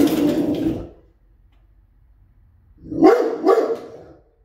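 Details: A Rottweiler protecting his home and family warns off a stranger at the door with a rough bark, then after a pause two deep, quick barks in a row.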